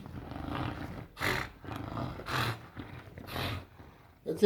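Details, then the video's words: English Bulldog on a couch indoors making weird gremlin-style sounds: low rumbling growls broken by several loud, raspy, roar-like bursts about once a second. "Bulldog making weird sounds looking like Gremlin"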